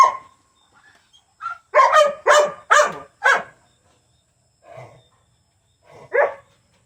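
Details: June Bug, a dog, wheezing on 8/25/22. A burst of four rapid rasping, honk-like breaths, then a pause and two weaker hoarse gasps trailing off, with silence between.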